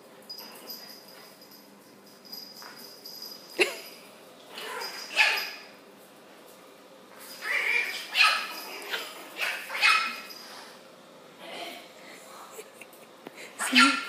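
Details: Miss Sierra, a five-week-old Chihuahua puppy, play-fights with another puppy named Ace: short high yips and squeaky growls come in scattered bursts, the loudest near the end, over a quiet indoor background.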